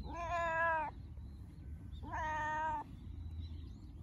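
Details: Cat; happy meow; showing affection or during play, signalling a bond of trust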